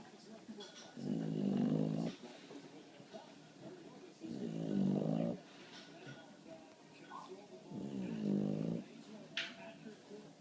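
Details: A sleeping bulldog, tired after barking at a bird through the window, snores indoors. Three long, rattling snores with a gurgling quality come about every three and a half seconds, with faint clicks and small noises between them.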